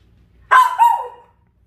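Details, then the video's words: Dachshund reacting to a puppy wedged between air conditioners. It lets out a single loud bark in two quick parts: a sharp onset, then a second, sliding, drawn-out note. Room is otherwise quiet. "에어컨 사이 낀 강아지를 본 닥스훈트 반응?"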